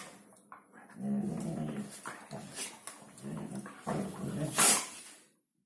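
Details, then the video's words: Hungarian Vizsla's New Year talk, a low rumbling growl-like grumble in several drawn-out bursts, rising to a brief sharp yelp before falling silent. "Hungarian vizsla new year's talk."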